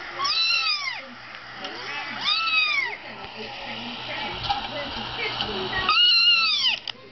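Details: Female Persian cat named Nikki, indoors, trying to get under a laptop as if mothering a kitten, gives three drawn-out meows that rise then fall, spaced a few seconds apart, over a steady low electrical hum.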